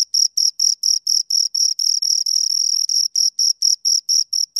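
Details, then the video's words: High, shrill chirping from two crickets heard close, rapid evenly spaced pulses roughly five per second, a couple of bursts briefly merging into a longer buzz midway. "Two Crickets Chirp Sounds for Two Hours Right on Your Ears"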